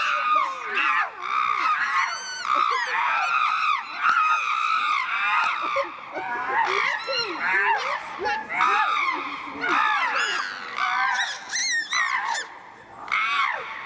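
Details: Captive chimpanzees Tommy, William and Peter at Chimpanzee Eden, Twycross Zoo, fighting as Peter whacks Tommy repeatedly; dense overlapping shrill screams and hoarse barks rising and falling, loud and continuous throughout.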